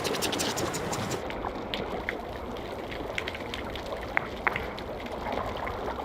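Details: Underwater off Isabela Island, Galapagos, snapping shrimp fill the water with a constant crackle, thousands of tiny sharp clicks merging into a sizzling hiss like frying fat, with a few louder isolated snaps standing out.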